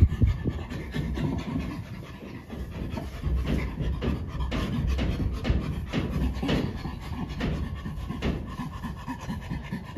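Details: Sanctuary chimpanzee at Chimpanzee Sanctuary Northwest producing fast, gruff, low panting, roughly four breaths a second, fairly loud and continuous, with small knocks and rustling in the background.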